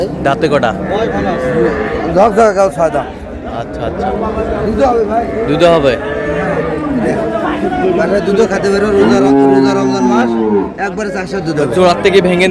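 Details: At Ambari haat, Dinajpur, Bangladesh, on 20 February 2026, among cows with young calves, intermittent lowing moos mix with loud market talk; a longer, strongly harmonic moo stands out near the end.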